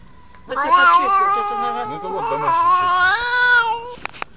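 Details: Cat or kitten from a compilation of meowing pets giving one long, wavering, drawn-out meow lasting about three and a half seconds, with a second lower voice overlapping partway through, ending in a few soft clicks.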